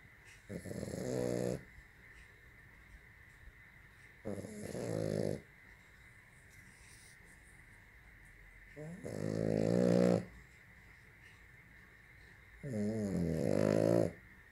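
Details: French bulldog snoring indoors: four long raspy, buzzy snores with pulsing low harmonics, each lasting about a second, spaced roughly four seconds apart, with a steady faint hum between breaths.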